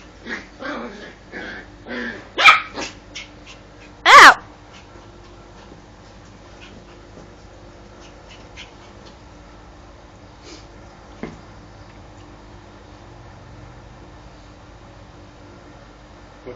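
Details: Female pet dog giving a quick series of soft yips, then two louder barks within four seconds, followed by a long near-silent stretch with faint household noise.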